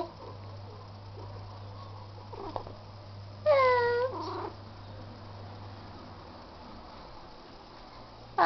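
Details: Indoor pet cat Bebel, a male described as pretending to know nothing after doing wrong, lets out one drawn-out, slightly bending meow midway through a quiet stretch, with a steady low hum throughout and a short sound at the end.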